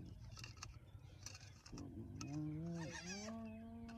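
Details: Hyenas of a clan mobbing a young male lion early one morning at Elephant Plains, northern Sabi Sands, South Africa: a low, drawn-out tonal call that swells, dips briefly and then holds steady, over faint hiss and scattered clicks.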